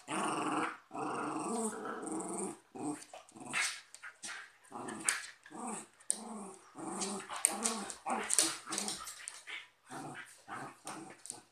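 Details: Cocker spaniel and westie in a fight, producing long throaty growls that break into short choppy snarls and snaps, repeated irregularly throughout.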